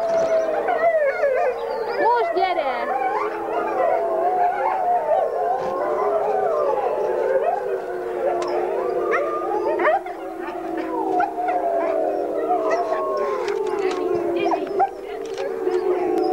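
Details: Wolf pack howling in the background while a single female wolf greets her hand raisers; many overlapping drawn-out howls slide up and down and waver, forming a dense continuous chorus throughout, with a few short whimpering notes and some human voices.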